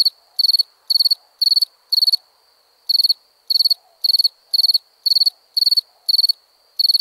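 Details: Crickets chirping at night: clean, high chirps, each a quick burst of four or five pulses, repeated about twice per second with short silent gaps, steady throughout over a quiet background.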